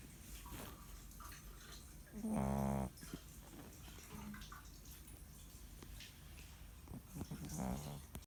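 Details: Chihuahua snoring while buried in a jacket. One loud, buzzy, low-pitched snore lasts under a second near the start, and a softer one comes about five seconds later. A constant rushing hiss runs throughout.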